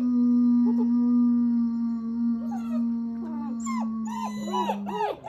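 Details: Several German Shepherd pups howling after breakfast on 21 January 2022 while a person leads with a long, steady low howl; pups join midway with rising-falling, quavering cries and yelps that grow denser toward the end.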